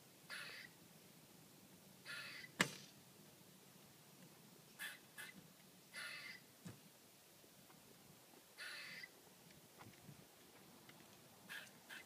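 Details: Squirrel calling from a tree outside a house, recorded 19 January 2013: short, harsh, chattering bursts spaced a second or two apart, over a quiet background.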